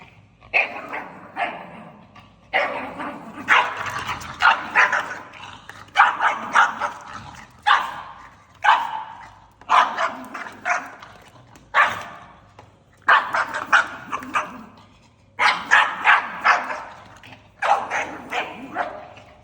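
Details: A pug barking angrily in a long, insistent series, short rough barks coming in clusters of two to four, about one each second, with brief gaps between bursts.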